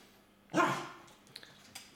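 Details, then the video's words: Indoor dog giving a single short bark at a budgerigar that escaped and hid in a corner behind furniture, followed by faint clicks and quiet room noise. "Pes štěká na schovanou andulku"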